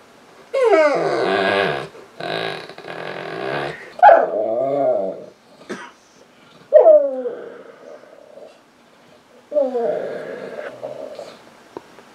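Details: Female Saint Bernard lying on a couch, crying for attention to be petted: loud, baby-like wails that start high and slide down into moaning, wavering tones, repeated in four bursts separated by brief silences.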